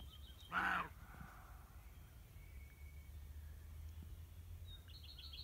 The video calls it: Roe deer barking.